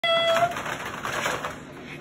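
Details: French Bulldog; puppy vocalization; greeting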